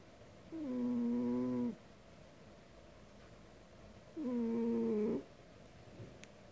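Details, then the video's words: Loud snoring from a sleeping cat, two steady low-pitched tonal breaths each about a second long, spaced roughly three seconds apart, with a quiet pause between them. "snore too loudly"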